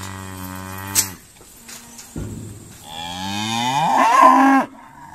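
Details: Irish Dexter cows lowing during a noisy day of sorting at Stone Meadow Farm; a low steady moo fades, then a louder rising, strained bellow swells before cutting off.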